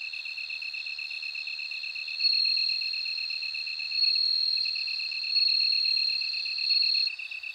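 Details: Bell cricket singing: a steady high ringing tone that swells brighter every second or two, layered over a fast, evenly pulsed lower chirping from another insect, with no other sounds.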